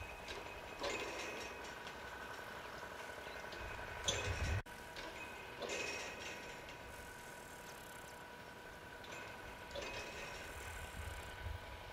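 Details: A steady mechanical hum like an idling vehicle runs throughout, with occasional rustles and clunks and no animal calls.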